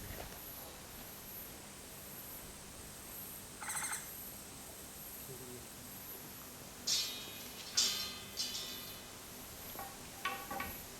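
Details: Japanese giant flying squirrel on Mount Takao, 19 August 2014, giving harsh, raspy calls rich in overtones: one brief burst near four seconds, then three louder bursts in quick succession, then fainter ones, over a steady high insect hiss.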